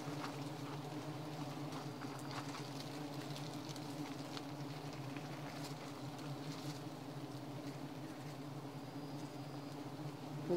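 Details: Giant honey bees (Apis dorsata) humming around a honey-hunting site: a constant low buzz with steady layered tones, faint scattered clicks and rustles, and a sudden loud knock at the very end.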